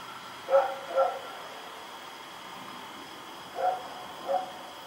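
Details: At night on October 7, 2018, the dog Rex runs about barking: two quick barks, a pause of about two and a half seconds, then two more, faint and distant beneath a steady tonal hum.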